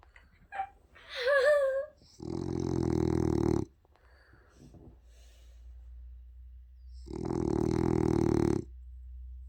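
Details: Male French Bulldog's loud snoring, said to sound like an old man. A brief wavering voice-like sound comes first, then two long buzzy, rattling snores about five seconds apart, with quiet breathing between.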